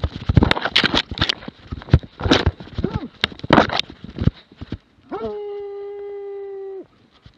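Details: Plott hound, Lätti, 2017: several seconds of rustling, knocking and indistinct noise, then one steady, drawn-out bay lasting nearly two seconds, flat in pitch with strong harmonics, ending abruptly.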